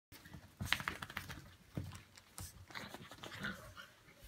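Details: Brussels Griffon dogs named Ivanka and Misha at a pyjama party indoors, giving soft panting breaths and short whimpers, with scattered clicks and rustling in a small room.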